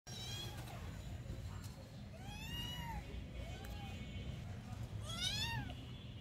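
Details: Kitten meowing while being offered pumpkin to eat: about three arched, rising-then-falling meows spaced a second or so apart, with low background rumble and a person's voice nearby.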